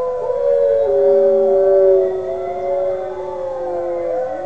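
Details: Kodiak, a five-month-old Northern Inuit dog learning to howl, gives a long sustained howl that wavers and slides slightly down, then rises again toward the end with overlapping tones.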